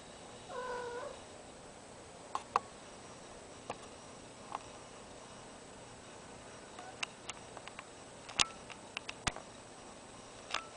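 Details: Single short harmonic yowl from a cat in heat, kept alongside a deaf ferret. It is followed by a long run of sharp clicks and taps indoors.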